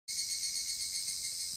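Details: An evening cicada (higurashi) sings a steady, shimmering high-pitched trill with no break, recorded 5 August 2014 near Dōso Gorge, Ihara, Okayama Prefecture, Japan.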